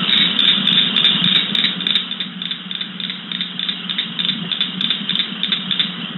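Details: Pinelands cricket frog recording, New Jersey, a summer species: steady raspy clicking like fingers drawn over comb bristles, loudest at the start and easing slightly, rhythmic pulses several per second throughout.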